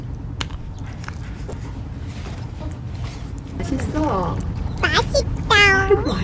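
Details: Stray cats living around a shop in South Korea, given a winter house as the weather turns cold; after low background hum and a woman's voice, a cat gives several rising-falling wavering meows, louder toward the end.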